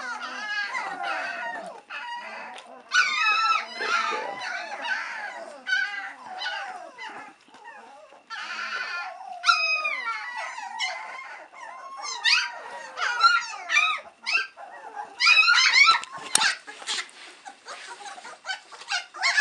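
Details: Impatient three-week-old White Swiss Shepherd pups await their mother Cova's return for feeding, filling the room with a constant jumble of squeals, bent whines and short yelps that swell and fade over nearly twenty seconds.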